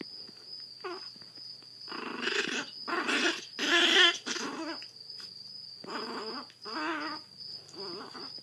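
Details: A blind female Chihuahua puppy, Zada, aged seven weeks with severe hydrocephalus and raised by a Fort Worth rescue, lets out grumpy growls with rising and falling tones, loudest near the middle, over a constant high-pitched hum.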